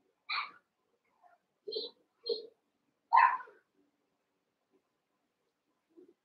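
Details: Cavalier King Charles Spaniel puppies, eight young littermates wrestling and playing together indoors in the Red Barn puppy pen, give four short, sharp, high yapping barks within about three seconds, then near silence with one faint sound at the end.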